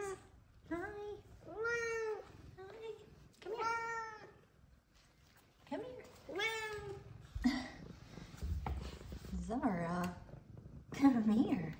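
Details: Happy F2 Savannah cats greeting their owner indoors: a series of rising-falling, nasal meows, about five in the first seven seconds, then softer calls mixed with a woman's affectionate talking.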